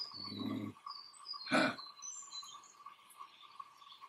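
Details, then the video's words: Male eastern grey kangaroo in Australia grunting while displaying dominance, standing on his toes and rubbing the grass with his front paws; one short low rough grunt opens, then a brief thump, with faint bird chirps and steady background hum. "Australian Male Kangaroo Showing Dominance"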